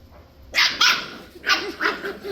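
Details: Six-week-old Scottish Terrier puppies playing together: two sharp, high yaps in quick succession, a short pause, then a rapid burst of four or five shrill yips, with faint room noise behind.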